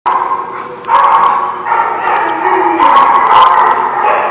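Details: Dogs at The Barking Lot, recorded December 16, 2017, giving loud sustained howling wails in overlapping waves, steady harmonic tones swelling and fading over about four seconds with rougher bark-like bursts mixed in.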